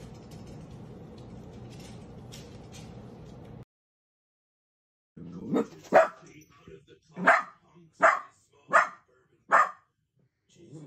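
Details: Playful Dachshund puppies, or sausage dogs: after a stretch of low steady background noise and a brief silence, six sharp, loud barks come in an uneven series, roughly one every second.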